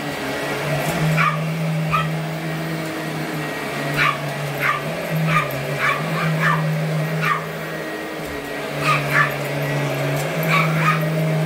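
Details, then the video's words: Allie, a 12-year-old, 8.5-pound Boston Terrier, chasing a vacuum cleaner as she has all her life: short sharp barks and yips in scattered bursts, repeated over a steady low droning vacuum hum. "Vac Attack by My Little Boston Terrier, Allie"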